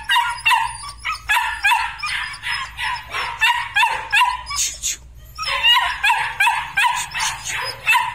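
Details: A litter of Belgian Malinois puppies yelps in a steady series of short, bright, high-pitched barks, about three a second, with a brief lull midway before the overlapping yapping resumes.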